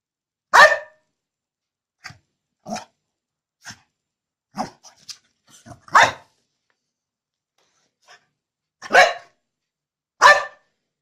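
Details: Angry, pissed-off bulldog barking indoors: loud, harsh single barks with softer yaps between, irregular spacing over several seconds, the strongest barks coming in pairs near the end.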